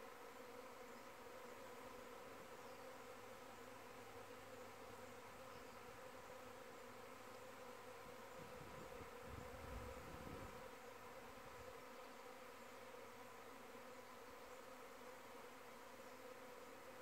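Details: Many honey bees from the hive flying in the air during what may be a virgin queen's mating flight, a continuous droning hum with bands of overtones, with a brief low rumble swelling in the middle.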